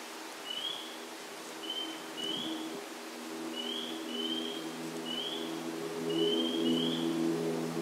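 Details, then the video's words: Spring peepers at a vernal pool in Sudbury, Massachusetts, on April 11, 2019: about ten short, high, rising peeps scattered across the clip, some overlapping in pairs, over a steady low droning hum. "Spring Peeper Chorus"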